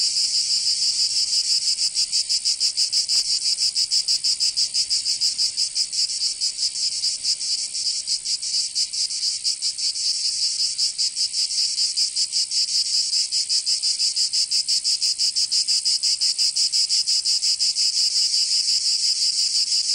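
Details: Provence cicadas in summer, southern France, producing a constant high rasping drone pulsed about three times a second, slightly uneven in loudness over time, with one brief click early on; otherwise only the insects.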